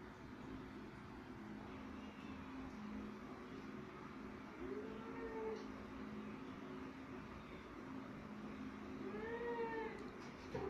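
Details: Cat interacting with Dolda gives two faint drawn-out meows, each rising then falling, about five seconds apart, over a constant low humming background.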